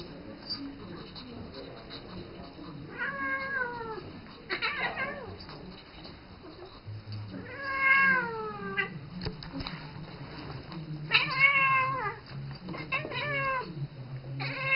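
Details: Isis, a seven-year-old pet cat living with a three-month-old ferret named Rambo, calls to him as if he were her kitten; several drawn-out, bending meows arrive every few seconds over a low household hum, with a few Spanish words spoken.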